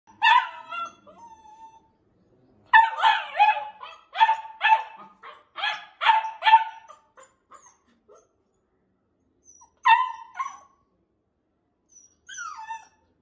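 A Labrador puppy gives high, yappy barks in quick bursts, with pauses and a few softer whines.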